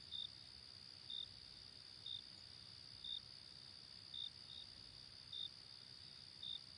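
Grasshoppers trill, with short high chirps about once a second over a steady high-pitched insect hum.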